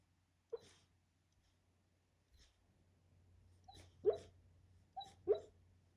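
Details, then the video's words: Dog asleep and dreaming of a squirrel chase, making soft, stifled yips and huffs indoors, single ones at first, then a cluster of four near the end, with a steady low hum behind. "Cute dog dreaming of chasing a squirrel"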